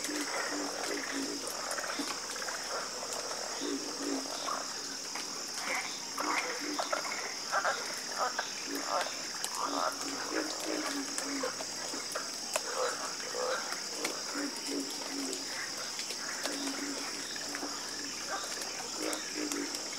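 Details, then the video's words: Dense chorus of croaking frogs, many overlapping pulsed calls rattling on throughout, layered over a persistent high shrill hum. "Calming Sound Of Harmonious Frog Croaking"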